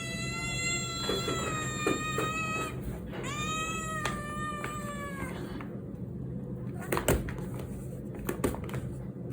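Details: Aggressive domestic cat that bites a hand meows repeatedly in drawn-out harmonic cries, several rising then sagging, over constant low room hum, followed by scratchy rustling and handling knocks.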